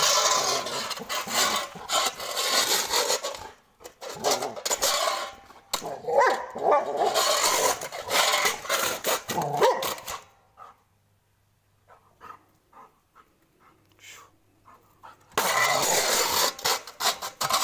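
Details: A pet Labrador Retriever named Gabbar barks in anger, sharp repeated barks crowded into dense bursts and separated by a quiet gap of several seconds, with a faint low hum in the background.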